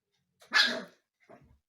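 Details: Husky puppy Umka, indoors and settling into the home while mischievously pestering the household cats, gives one loud, harsh, broadband bark followed by a quieter, shorter yelp; room otherwise silent.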